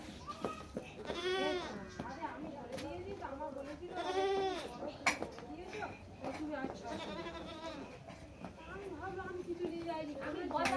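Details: Young goat bothered by a boy bleats repeatedly in quavering, rising-then-falling cries, several across the stretch, mixed with steady human chatter and voices close by.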